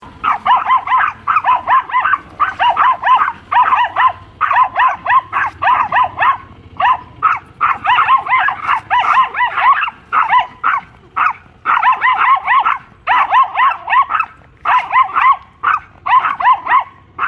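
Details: Pomeranian dogs, a mother and daughter pair, squaring off against a German Shepherd; rapid high yappy barks in dense bursts, continuous volleys across the whole stretch with short gaps.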